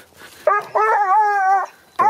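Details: A Porcelaine hound bays on a hare's trail during hunting training in Greece, giving a short yelp and a long, ringing, slightly wavering note.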